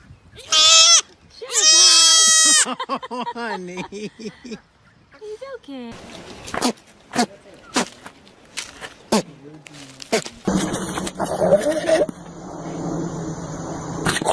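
A goat opens with two loud, quavering bleats, strongly nasal and shaking in pitch. Afterwards come fainter bleats, human chatter, laughter and a burst of noisy background sound.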